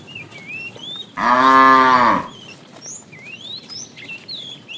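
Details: Fat cow from a tame herd being driven in the afternoon, calling the female, lets out one loud, even moo lasting about a second, with thin whistled bird calls before and after.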